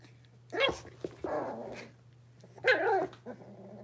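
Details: Indoor puppy pen holding five blenheim Cavalier King Charles Spaniel puppies at six weeks old: two sharp, loud yappy barks separated by a rough, drawn-out growling grumble, with a constant low hum beneath.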